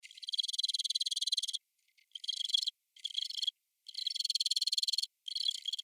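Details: Black field cricket call; only adult males call, to attract females and to show off to rivals. High, shrill pulsed trilling comes in bursts: one long train of rapid pulses, then several shorter bursts separated by brief silences.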